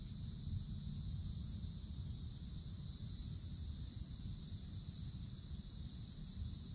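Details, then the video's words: Summer cicadas in the tops of woodland trees keep up a continuous shrill buzzing hum with an even, higher hiss layered over it. The drone never pauses, set against a low background rumble. "Forest Canopy in the Summertime With Cicadas Sounds"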